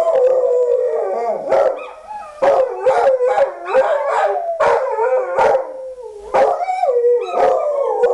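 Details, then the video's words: A pit bull howls like a wolf, its long quavering tones bending up and down, interrupted by repeated short barks roughly every second, loud and close. "PITBULL THE WOLF"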